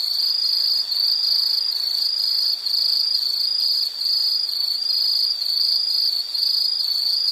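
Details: Continuous shrill insect trill from a background nature-sound recording, high and steady, broken by a few short dips in loudness every second or so.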